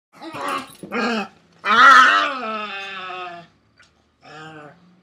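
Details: A Pekingese harassing a Pekingese/Shih Tzu mix gives harsh, throaty barks and a drawn-out growling whine, then a shorter grumble.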